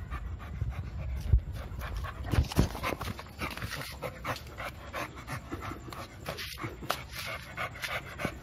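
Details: American Bully named Milo, two years old, eager to play, breathing in rough irregular pants with low thuds and handling noises underneath.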